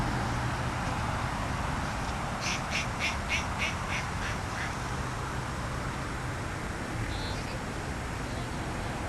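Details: A rabbit snacking on greens gives a quick, duck-like run of about seven short, quack-like clicks lasting just over a second, over a steady low rumbling background noise.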